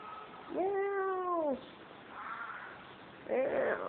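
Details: Constantly meowing female cat in Kos, Greece, wanting into a room; one clear, full meow lasting about a second, then a quieter pause and the start of another meow.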